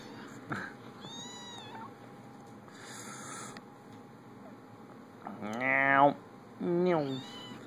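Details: Playful kittens recorded on an Android phone, giving two clear meows near the end, the first longer and louder with a rising then falling pitch, the second shorter. Fainter high mewing comes earlier, over a steady low hum.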